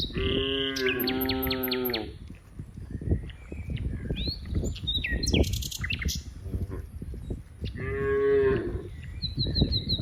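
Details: Cows in a herd playing together in green rice fields; two harmonic moos open the clip, a third near eight seconds, with bird chirps and whistles overhead and a steady low rumble underneath.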